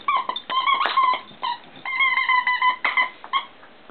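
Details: Pet dog wriggling with his ball and lifting it with his paws during play; high, tonal whimpering yips come in short bursts, some rising and falling, repeated throughout.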